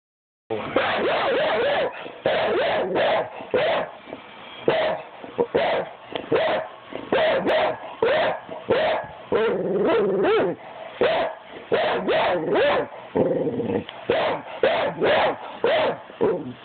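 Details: Pit bull barking for no apparent reason, called crazy; loud, rough barks come in rapid bursts, often two or three per second, separated by brief pauses for the whole stretch, with a growly edge on several of them.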